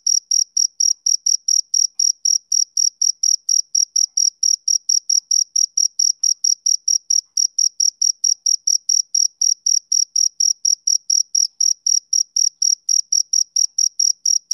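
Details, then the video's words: Male cricket chirping on a summer evening: a steady train of short, high-pitched pulses, roughly three to four per second, evenly spaced and unbroken for the whole stretch, with no other sounds in the background. "Cricket Chirping Sound Effect"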